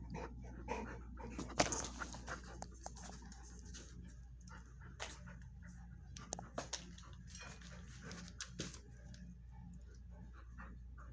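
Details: Watson the Bull Mastiff and his friend Penny the Vizsla welcome a visiting buddy, showing love: irregular breathy pants, sniffs and soft whimpering bursts spread across the recording, with a constant low hum beneath.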